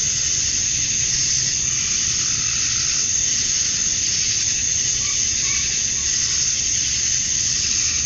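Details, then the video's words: A chorus of male cicadas calling to females on a summer evening at dusk in Georgia, USA: an intense, steady hissing whine with gentle pulsing and a few faint higher notes, low hum beneath. "Cicadas at Dusk, Summer Night"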